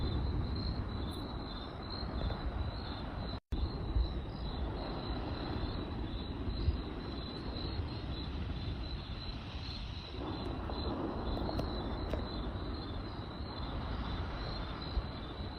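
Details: Crickets chirp in a steady, high, pulsing trill at night beside a campfire, over a low crackling rumble of the fire.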